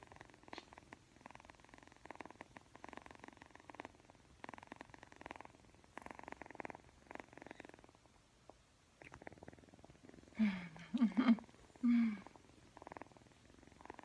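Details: Purring Persian kitten, yawning and playing with a camera; low pulsed purr in repeated bursts for about eight seconds, then a pause and a few short louder tonal vocal sounds near the end among continued purring.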